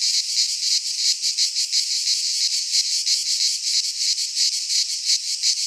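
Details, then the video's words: Cicadas in a Greek pine forest in midsummer, an intense high-pitched buzz beating evenly in fast pulses, about three each second, uninterrupted. "Cicadas singing in midsummer"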